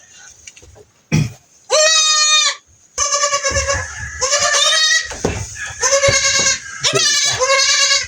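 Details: A goat with pink eye being treated bleats repeatedly: one short cry, then a series of long, harsh, quavering bleats running almost back to back, with a person speaking faintly underneath.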